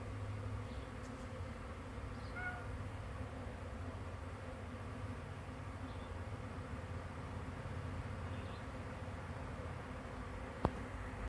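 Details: Mass of swarming bees, May 9, 2023: an even, low, droning hum that never pauses, with faint brief chirps in the background and a single sharp click near the end.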